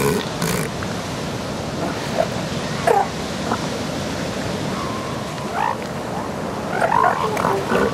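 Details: Elephant seals in mating season, adult females fending off amorous big males while pups scramble away; loud, rough, guttural bellows and grunts rise over a constant surf-like roar, with brief higher honking calls near the end.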